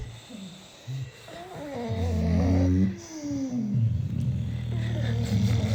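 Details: A group of six British Bulldogs sleeping, snorting and snoring with gravelly, wavering low tones and occasional higher whistling wheezes as breaths overlap.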